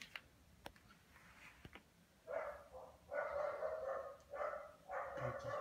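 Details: A very lazy, sluggish Lhasa Apso gives a string of drawn-out, moaning whines, each lasting under a second.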